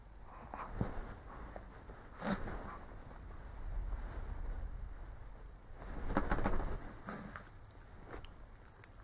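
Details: Sleeping old Shih Tzu snoring: two rasping, broadband snore bursts roughly four seconds apart, each swelling and fading, with soft wheezy breaths and faint clicks between over a low room hum.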